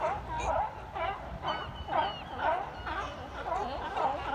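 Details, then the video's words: Sea lions barking at Fisherman's Wharf, a crowd of hoarse, honking barks repeated roughly twice a second, overlapping from several animals, with a busy ambient background. "Barking Seals"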